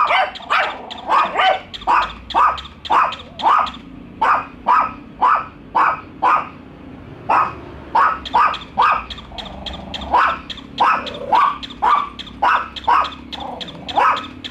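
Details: Dogs Bico and Faith meet a toy dog and keep barking; long run of sharp, fairly regular barks, several per second in stretches, with short pauses and a faint whine.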